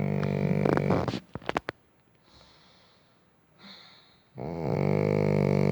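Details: Dalsun, a ten-year-old Shih Tzu, snores while tired and dozing on a warm heated ondol floor: loud, buzzy, droning snores at the start and end, separated by a few seconds of near-silence with faint breathing.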